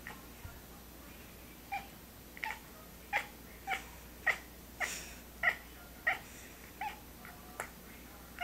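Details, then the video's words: Pistol the cat gives a rapid, fairly even run of short, bright chirping calls, about one every two-thirds of a second, with a faint hum in the background. "Pistol-The Laughing Cat"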